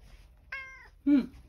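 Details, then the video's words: Male rescued house cat calling from a back window for the elderly woman it lives with, who is in the bath and cannot open it. Two meows: a clear, steady, even-pitched one, then a shorter, lower, rougher one. Quiet room. "裏の窓から、おばあちゃんを呼んだけど.. お風呂に入っていて開けてもらえず.. オヤツにチュールをもらう猫"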